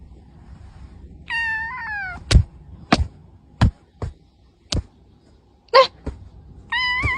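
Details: Cat meowing indoors: a drawn-out, falling meow with strong harmonics, then several sharp knocks and thumps, a brief rough sound, and a second rising meow at the very end.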